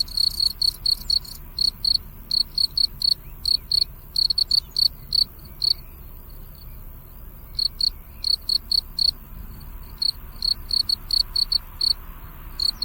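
Crickets chirp in quick, high, pulsing bursts, repeated steadily with a few brief pauses.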